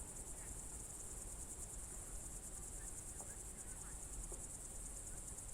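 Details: Evening crickets in June 2023 at the Novye Buregi tract, Novgorod Oblast: a dense, unbroken high trill with rapid rhythmic pulsing, and a few faint, short bird chirps scattered beneath it.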